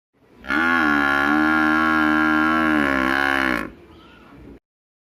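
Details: An Indian water buffalo gives a long, deep, steady bellowing moo lasting about three seconds.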